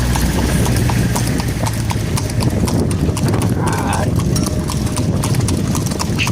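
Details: Night ride in a horse cart, hooves clopping quickly and crisply on a hard surface, with a brief murmur of a voice near the middle and a constant low rumble.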